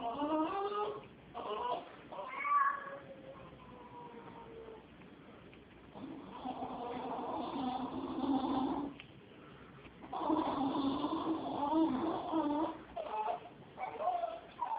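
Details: Female Jack Russell Terrier reacting to a cat, making unusual retching-like sounds: wavering, nasal, moaning whines in several bouts, with short broken yelps early on and two long sustained strained moans later, indoors.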